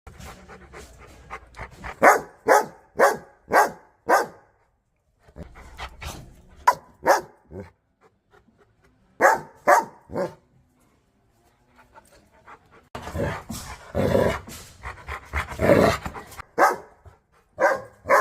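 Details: Aggressive dogs barking sharply in bursts, several rapid barks repeated about twice a second with pauses between runs, ending in a denser flurry of overlapping barks and panting-like noise.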